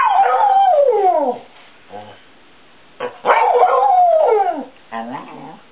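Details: Seven-year-old male Border Collie mix 'talking' and singing to family members at home, answering affectionate questions: long wavering howl-like whines sliding downward, a short break, then a second drawn-out descending moan with a brief yip-like ending.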